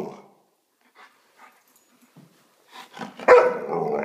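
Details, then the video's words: An Alaskan Malamute gives a loud, drawn-out, talking vocalization after a few soft huffs, as if yelling at a person. "Getting yelled at by an Alaskan Malamute."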